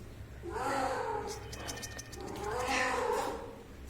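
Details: Cat giving two long wavering meows about two seconds apart, the second higher and louder, with clicking noises between them and faint background voices.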